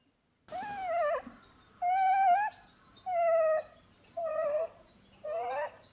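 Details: Holland Lop rabbit, a female with a short flat face, snoring in her sleep while being cuddled: five whistled, wavering nasal tones, each under a second long and separated by short pauses, some rising at the end like a squeak.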